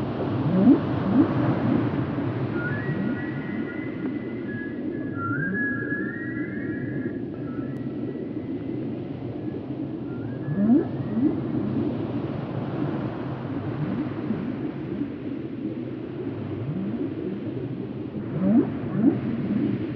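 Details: Whale calls offered for relaxation and sleep: long, level tonal moans with short rising slides in a higher register, and repeated low upward swoops every few seconds, all over a constant deep underwater rumble.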